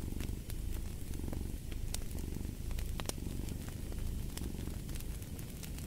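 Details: Rumbling cat purr, dense and low with gentle rhythmic surges, over a background of loud intermittent crackles from a fireplace.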